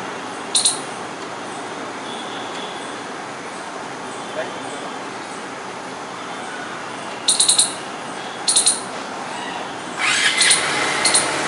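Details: A squirrel in Delhi, India gives sharp, high-pitched chirps in quick clusters over a steady background hiss.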